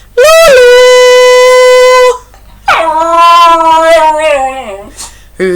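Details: Dog singing along with its owner's Finnish singing at home; two long, loud, sustained howls, the first rising sharply then held level, the second sliding slowly downward, ending in a short whimpering yip.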